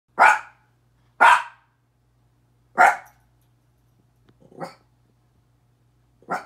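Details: Miniature Pinscher named Petey barking at himself in a mirror: three loud, sharp barks about a second apart, then two fainter ones, with quiet gaps between and a low steady hum underneath.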